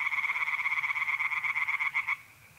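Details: Tree frogs croaking at night in a pond, north-east Italy in mid-April: a quick run of pulsed, rattling notes that breaks off abruptly, leaving only quiet night background.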